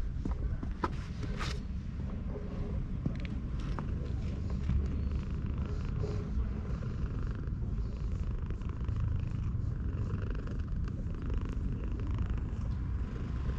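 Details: A stray cat sunbathing at a shrine purrs as it is stroked, recorded with a GoPro HERO8. An unbroken, deep, even rumble fills all fourteen seconds, with scattered light scratching and rustling noises on top.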